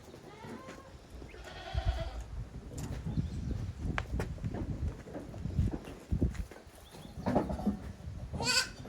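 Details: Goat kids romping hard in the yard of Yoshigake handmade goat farm on 30 April 2023. A short bleat early on and a high, strained bleat at the end rise over constant thudding, knocking and trampling.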